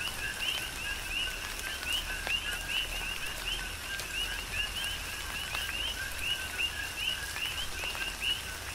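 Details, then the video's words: Tropical rainfall on Hawaii's Big Island with a steady chorus of coqui frogs: overlapping upward-sweeping whistled chirps paired with lower notes, repeated without pause, and rain pattering and dripping throughout. "Tropical Rain & Coqui"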